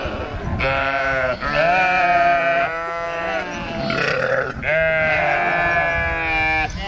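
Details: Lambs on a sheep farm, rejected by their mother and taken in by a nursing sheepdog. Long, quavering bleats last one to two seconds each, with short breaks between them. Some calls come at a higher pitch and some at a lower pitch.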